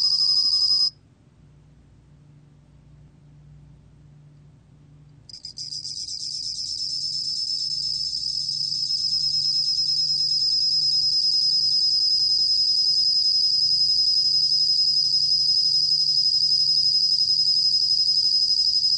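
A bell cricket gives a high, pure, ringing trill that runs on steadily after a brief pause.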